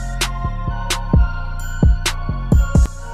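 A drum-machine beat with kick, snare and hi-hat hits; no animal voice is heard.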